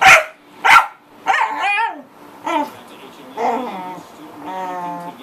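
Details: Pet corgi making a lot of noise: two sharp, loud barks open, followed by a string of wavering, tonal whines and yelps that rise and fall, each lasting about half a second to a second.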